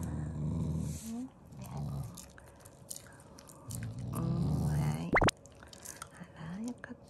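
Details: Shiba Inu growling while eating, an affectionate sound rather than anger; low rumbling growls in several bursts around the first second and again near four seconds, with crunching and a person talking about the meat being gone.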